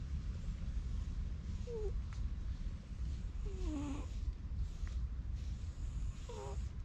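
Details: Stray cat met in a forest, stroked with a cat brush and enjoying it, gives three short meows, the middle one longer and falling, over steady low rumbling noise with soft rustles.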